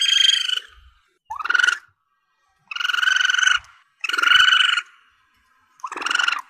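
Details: Young Asian palm civet, or musang pandan, in a recording used by hunters as a lure. Five loud, harmonic squealing cries of about half a second each, some rising sharply at the start, separated by short silent gaps.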